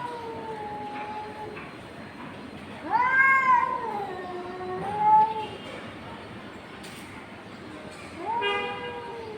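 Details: Confronting cats trade drawn-out, bending yowls, a quieter wail first, then a louder rising-and-falling howl and another starting near the end.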